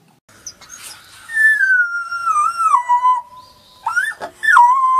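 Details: Gray wolf pups howling: a thin, high tonal wail sliding gradually downward and wavering, then settling into a steady note, with short squeaky yips before and a sharp rising yelp near the end.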